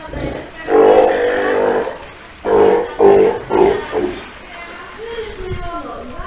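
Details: Three-month-old Steller sea lion pup, wary of staff, at Ise Sea Paradise aquarium, Japan: one long rough bawl of over a second, then three shorter throaty calls, with human voices in the background.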